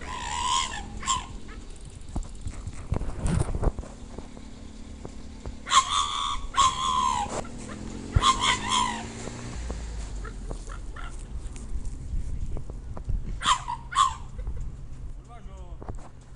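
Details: Pit Bull, secretly recorded on a sound recorder, giving occasional short, high whining squeals in brief clusters separated by long pauses, over low rumbling background noise and scattered clicks.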